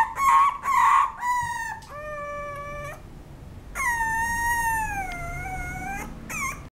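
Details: Whining apricot female Toy Poodle: short rapid whimpers at the start give way to long, drawn-out high whines, one steady, another sagging then rising, separated by brief gaps, ending with a short yelp.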